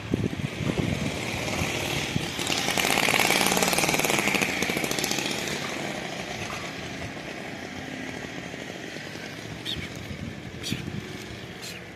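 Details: A loud, steady buzzing of a motorized tool, like a chainsaw or power tool, runs throughout with no animal voice. No animal voice comes through the mechanical noise.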